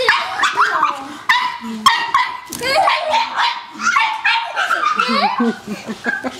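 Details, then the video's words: Pug named Ruby fighting a vacuum cleaner indoors, letting out rapid high yapping barks one after another, with a person's voice and household noise mixed in. "Ruby the pug vs. the vacuum"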